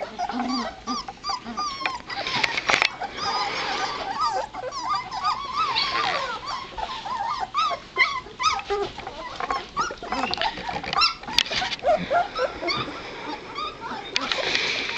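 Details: Litter of two-and-a-half-week-old White Shepherd puppies, just beginning to move about, dated 9-23-12; a steady chorus of overlapping wavering whimpers, squeaks and squeals from many pups, with a few low grunts underneath.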